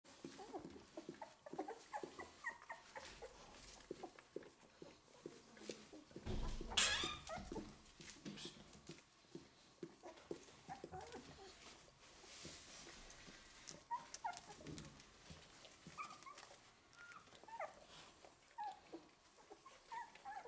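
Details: Golden Retriever puppies, an eleven-day-old litter, making short high whimpers and squeaks scattered throughout, with rustling and handling noises and one loud bump midway.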